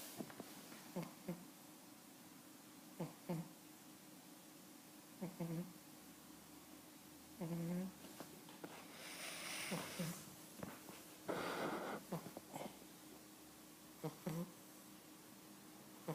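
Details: An 11-week-old Cavalier King Charles Spaniel puppy named Sprockett snores while asleep indoors, with short low breathy snorts recurring roughly every two seconds and a few louder, noisier bursts in between.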